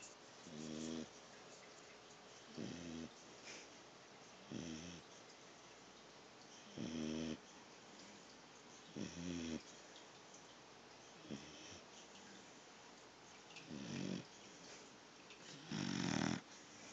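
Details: Sleeping pit bull puppy snoring, recorded on a phone: short rasping snorts roughly every two seconds with quiet hissy breathing between them over a steady background hiss.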